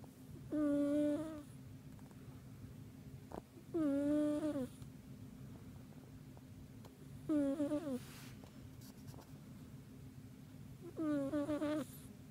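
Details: Deeply sleeping house cat snoring: four tonal, whistling snores, each under a second, slightly rising then dropping at the end, repeating about every three and a half seconds with quiet breathing gaps and a steady low room hum.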